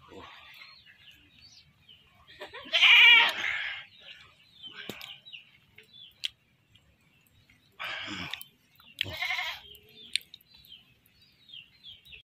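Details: Goat caught for slaughter: a strong trembling bleat near the start, then after a long pause two more harsh, quavering bleats close together, with faint knocks and clicks between them.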